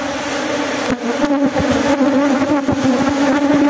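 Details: Honey bees at a honey harvest in Glodok: a steady droning hum held on one low pitch with a fainter higher overtone above it, broken by short low thumps and one brief dip in loudness.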